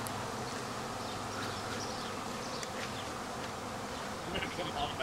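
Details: Honey bees swarming a second time, a week after an earlier swarm, many insects in flight around a tree: a dense, continuous droning buzz filling the air, steady and unbroken, with faint high chirps above.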